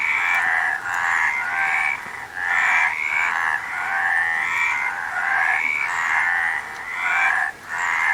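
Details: Several frogs croak at once, a continuous grating buzz with rising, drawn-out notes and two short pauses, nothing else audible.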